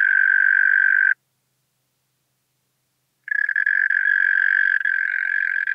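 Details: European mole cricket recorded in Pabing, Austria, on 31 May 2021: a steady, low churring trill sounds for about a second, breaks off into two seconds of silence, then resumes unbroken to the end.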